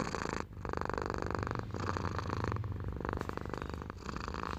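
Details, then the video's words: Domestic cat purring close to the microphone, a dense steady low-pitched vibrating rumble in long inhale and exhale phrases. "Suara Kucing Mendengkur"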